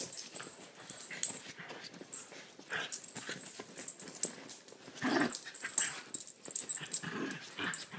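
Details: Chiweenie Lilah and Rat Terrier/Chihuahua mix Minnie in rare rough play, the pair giving a steady run of low growls, huffs and snorting breaths mixed with scuffling and claw taps throughout.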